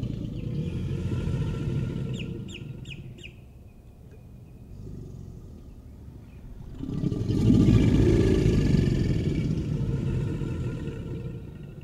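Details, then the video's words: American alligators bellowing during mating behavior: deep, rumbling low roars swelling and fading, loudest over the later half, with a few brief bird chirps early on. "American Alligator Bellowing"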